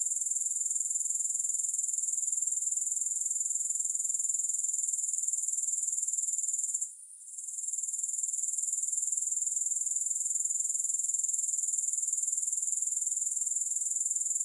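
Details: Grasshoppers produce a constant thin, high, rapidly pulsing buzz, with a single brief fade in the middle before the trill returns unchanged; nothing else is heard.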